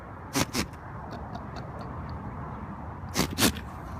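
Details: Goat at a farm sneezing onto a finger: two quick pairs of sharp, breathy bursts, one pair near the start and another about three seconds later, over a steady low background rumble.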